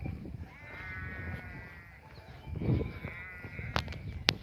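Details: Flock of sheep on a highland pasture in the morning: two wavering, drawn-out bleats, the first long and steady, the second shorter and overlapping, followed by sharp clicks and low rumbling handling noise.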